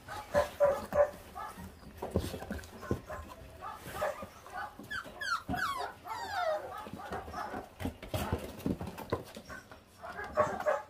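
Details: Feral puppies, five littermates 28 days old, feeding on raw meat; brief high whines and squeaks, a quick run of falling whimpers in the middle, amid clicking chewing sounds and soft background music.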